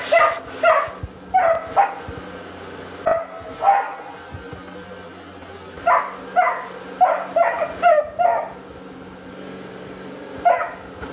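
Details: Young Beagle Dino defends his bed and toy against a vacuum, barking in clustered bursts of two to five sharp yaps separated by pauses, with a motor hum underneath.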